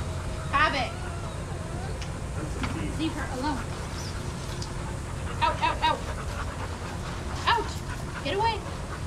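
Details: Shelter dogs playing and running together at a daycare give short harmonic barks and yelps, scattered singly and in quick pairs across the recording over a steady low hum of background noise.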